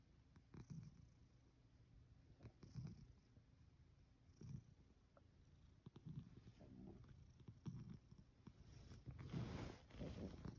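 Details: Sacchan, a rescued male cat, sleeping under the futon covers on his fourth night, purrs in a low, soft rumble that swells in slow breathing pulses about every second and a half, with rustling bedding toward the end.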